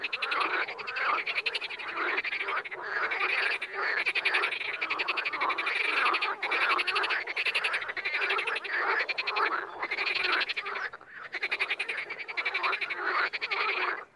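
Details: Frogs in the wild form a thick, unbroken chorus of overlapping rasping, pulsed croaks, with only momentary gaps in the din.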